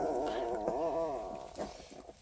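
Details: Young Redtick x Black & Tan Coonhound puppies at 12 days old, Ontario, Canada: a drawn-out, bending whine that arches up and down in pitch, then fades into quieter shuffling squeaks.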